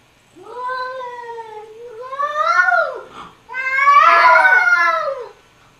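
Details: Two cats in a noisy argument: a long level moaning meow, a second rising, falling wail, then a harsher, louder, strained yowl that trails off in a quiet room.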